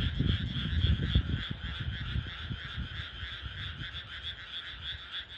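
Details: A dense chorus of frogs croaks together in a countryside rice paddy at night, with steady insect-like trilling high above.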